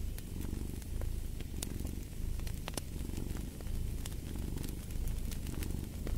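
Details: Low, pulsing rumble of a cat's purr rising and falling in soft waves, accompanied by crackling and occasional sharp pops from fire in a fireplace.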